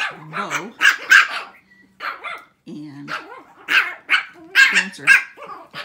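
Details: Six-week-old Shih Tzu puppies in a barking contest let out shrill, overlapping yaps in ragged bursts, falling briefly quiet near the middle before a fresh flurry of high barks.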